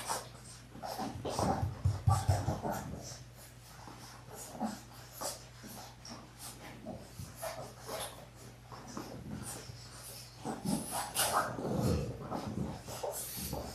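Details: Three-week-old Labrador Retriever puppies, a litter of six born January 18, 2022, play together in an indoor play room on February 12. Wheezy, snuffling breaths and small grunts recur in uneven bursts over a low constant hum.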